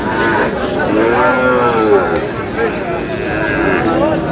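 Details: Sahiwal cattle at the busy Aftabganj cattle market in Nawabganj, Dinajpur, Bangladesh, on Saturday 14 February 2026, where Sahiwal bull calves are traded; a drawn-out, harmonic moo rises and falls midway, with bargaining voices and crowd chatter throughout.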